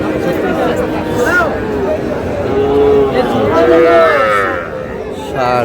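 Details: Cattle at a livestock market in Madaripur on 28 March, where a farmer buys very small bull and heifer calves; a few low, drawn-out moos rise over busy crowd chatter and haggling voices.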